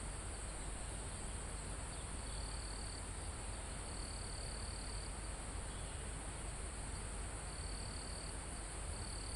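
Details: Crickets and other insects in a calm forest near a mountaintop, live field recording: a steady high insect drone with intermittent bright trilling bursts every few seconds, over a constant low rumble of wind through foliage.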